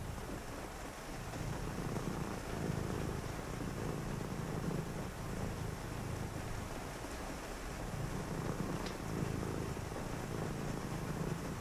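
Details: Purring cat during a quiet rainy night of reading: a soft low rumble rising and falling with each breath, broken by short pauses, set against an even wash of rain noise.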